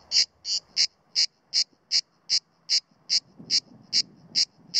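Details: A male grey cicada (Cicada orni) perched low on a pine trunk near Sueca, Spain, in September 2017, sings a steady run of harsh, buzzy pulses, about two or three each second, below full power because it is alert to the observer.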